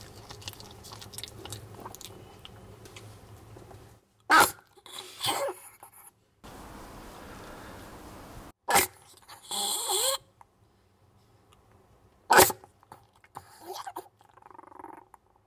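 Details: Jamong, a male Maltese born December 2015 in Gwangju, eats duck neck bones indoors; sharp crunching bursts break out every few seconds, with softer gnawing between them over a low room hum.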